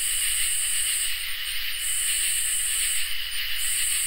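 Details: Crickets and katydids sing on a peaceful summer night: an unbroken high trill forms the backdrop, topped by sizzling, very high buzzes that start and stop in short bursts and brief stutters.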